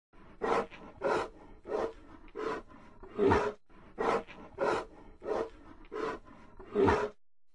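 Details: Bear giving a rapid series of short, rough growling grunts, about two per second, each a harsh burst with a low buzzy core, over a quiet background.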